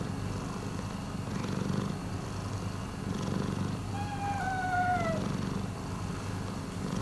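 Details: Rescued cat Miiko purrs in a low, even rumble with gentle breath-paced swells; midway a faint gliding whistle-like tone descends briefly over the steady purring.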